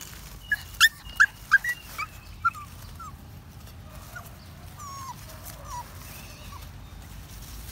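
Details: Happy puppy walking in the woods: about six sharp, high yips come in quick succession during the first few seconds, followed by softer, thin whimpers that slide downward, with faint outdoor rustling behind.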